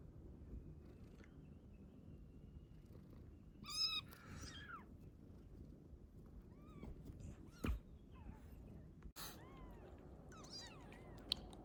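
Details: Domestic cat, a mother carrying her newborn kitten, met while out and about: short arched meows around 3.8 s, then softer curved meows near 7 and 10 seconds over a quiet background with a few clicks.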